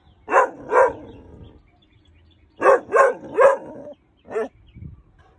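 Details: Young male Weimaraner puppy, not yet five months old, alerting at a perceived intruder with a burst of two barks, a pause, three quick barks in a row, then one last bark.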